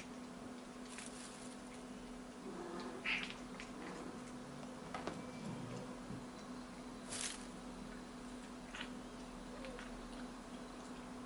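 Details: An eight-month-old female blue British Shorthair kitten chatters in soft, brief chirps and clicks over a low steady hum.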